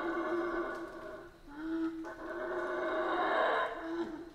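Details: Central American rainforest howler monkeys: droning, harmonic-rich roars overlapping continuously, with a brief dip before the chorus swells again.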